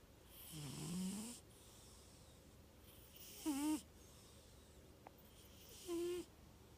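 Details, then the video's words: Neo, a nine-year-old, 25 lb male tuxedo cat, snoring loudly in his sleep at night. Three raspy, wavering snores come about every two and a half seconds over a quiet background hiss. "Neo snores loud every night"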